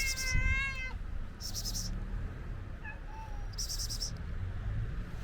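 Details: A friendly ginger stray cat asking for food gives one clear, rich meow that rises and falls at the start. A faint short mew follows near the middle, with brief hissing bursts and low background rumble.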